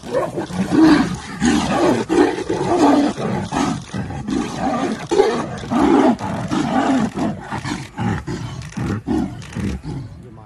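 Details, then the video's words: Two female tigers fighting in Ranthambore, giving repeated loud, harsh roars and snarls in bursts over about ten seconds, with overlapping growls throughout and a person exclaiming just before. "Tiger Fight"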